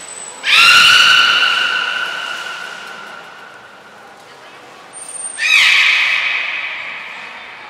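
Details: Training session with all the belugas at Port of Nagoya Public Aquarium, 2 April 2023; two loud, sustained, harmonic calls, each preceded by a brief high-pitched trainer's whistle, slowly dying away.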